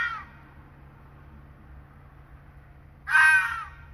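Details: Red fox screaming in the dark during the breeding season, a call confirming territory between rival foxes; one harsh, hoarse, drawn-out squeal near the end after a faint tail of an earlier call, over a low steady hum.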